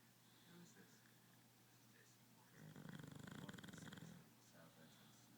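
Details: Sleeping bulldog snoring: a loud burst of rapid, rattling low snorts lasting over a second, between quieter breathing, with a person's voice nearby.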